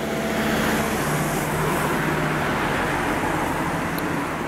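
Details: Steady roar of road traffic with passing cars and engine rumble throughout, and no animal voice heard.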